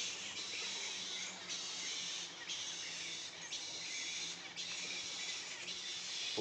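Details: Hundreds of bats roost in mahogany trees at a bat sanctuary one morning, keeping up a dense, restless chatter of high squeaks and twitters.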